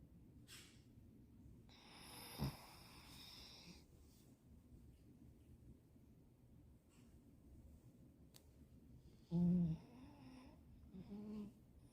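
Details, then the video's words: A dog asleep during nap time gives low, wheezy snores: a hissing breath near two to four seconds, a short louder snort around nine seconds and a smaller one near eleven, over a steady low room rumble. "funny dog snoring during nap time"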